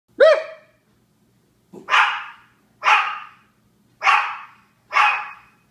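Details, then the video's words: Japanese Chins barking: one sharp tonal yap, then four loud, harsh, noisy barks spaced about a second apart, each dropping off quickly into silence. "Barking Japanese Chins"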